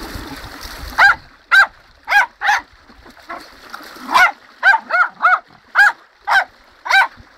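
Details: Tottie the dog barks excitedly beside a bubbling river in full flow: a rapid, fairly even run of a dozen short, bright yaps, roughly two per second, over rushing water.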